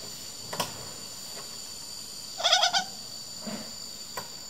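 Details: A rescued female douc langur, moved to a quarantine area for health checks, gives a brief, rapid burst of nasal, pulsing squeaks, calling to the friends she misses.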